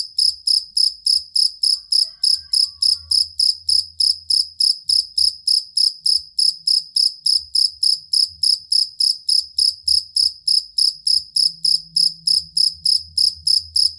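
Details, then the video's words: Steady, long chirping of a cricket kept to tutor songbirds for singing contests: bright, high trilled pulses every few tenths of a second, very regular throughout, over a faint low background murmur. "Suara Jangkrik Master Burung Sangat Ampuh dan Pengusir Tikus"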